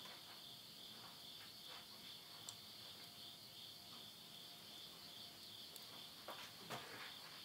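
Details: Late-summer insect voices at midnight in rural Tottori, Japan, September 2020: continuous shrill ringing holds steady throughout, while burning wood in a house stove snaps and crackles, with a few louder pops near the end.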